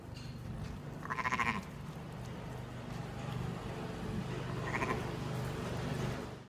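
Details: Sheep beside a lamb born minutes before, which tries to stand and find the udder; one quavering, harmonic bleat early, then a shorter, fainter bleat later, over a constant low droning hum.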